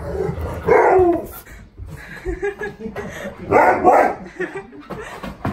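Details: Siberian Husky K'eyush, five years old, greeted on his birthday by his best friend; loud excited yipping bursts with whining tones, two strong outbursts separated by quieter murmurs, with a person talking in the background.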